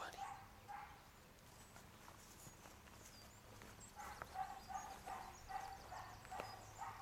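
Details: A distant dog in Ireland barks in short, quick bursts, pausing and then starting up again.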